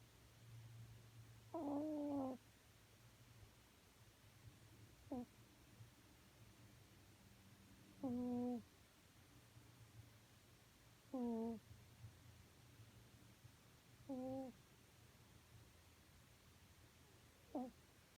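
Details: A cat asleep on a sofa, snoring; six tonal, whistle-like snores with stacked overtones, each under a second long and briefly bending in pitch, spaced roughly every three seconds over a quiet low hum.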